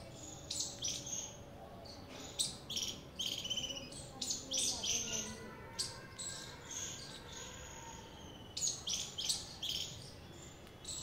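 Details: Squirrel giving high, sharp chirps in quick irregular bursts, several notes clustered together then short pauses, over a steady background hiss.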